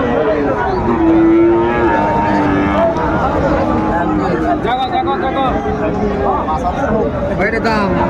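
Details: Sahiwal bull at a busy cattle market in Chattogram, Bangladesh, on 6 January 2025, bought there by a farmer; a low, drawn-out moo holds steady for nearly two seconds amid constant crowd chatter, bargaining voices and passing vehicle noise.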